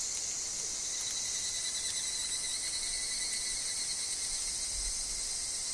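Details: Evening cicada (higurashi) chorus in a forest alongside wind and leaf fall: continuous shrill high-pitched trilling with gentle flickers of pulsing and a quieter sustained whine below.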